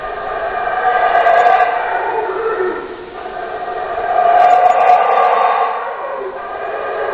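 Howler monkeys give a deep, rasping roar that swells, dips, then surges again.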